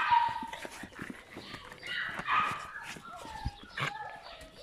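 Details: Litter of puppies from My Black Butterfly and Bayleys whimpering and yipping in short, uneven bursts, high nasal squeals rising and falling, with human voices murmuring faintly underneath.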